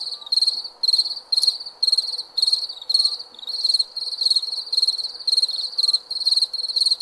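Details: Crickets chirping in the night, trains of rapid high-pitched pulses in bursts about twice a second, some overlapping, with faint soft tones in the background.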